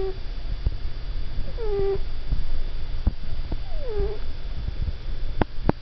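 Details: Monk, a sleeping cat apparently dreaming, lets out soft whimpering mews: a brief low note, then two faint falling squeaks with harmonics near the two-second mark and another descending whine around four seconds, over steady low indoor hum and light clicks.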